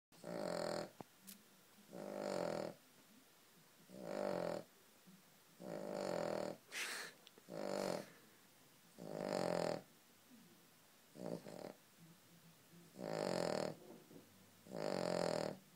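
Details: Very loud snoring from a sleeping dog indoors: broad, harmonic rasping breaths about every one and a half seconds, some stronger and longer than others, with brief quieter snorts between.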